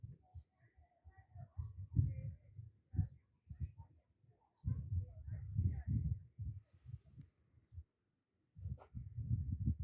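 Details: Crickets in a sunflower field sing a steady, high-pitched pulsed chirp, about four pulses per second throughout, beneath loud gusts of low wind rumble that come and go.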